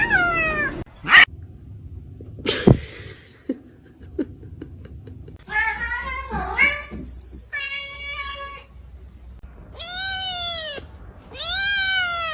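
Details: Domestic cats in a funny compilation, meowing in drawn-out harmonic calls, some rising then falling, several arched yowls near the end, with brief knocks, faint speech and room noise between calls.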